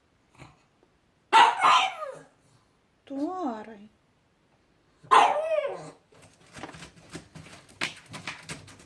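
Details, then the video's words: Pug making funny sounds, said to be seeing ghosts, indoors: two loud harsh barks a few seconds apart with a rising-falling wavering whine between them, followed by scratchy rustling. "Mopsas mato vaiduoklius/ pug seeing ghosts/ pug funny sounds"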